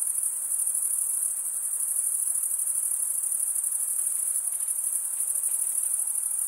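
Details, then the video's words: Stridulating crickets fill the air with an unbroken, piercing high trill. It pulses fast and never breaks, and its loudness stays nearly flat. Nothing else is audible beneath it. "Most relaxing cricket sound"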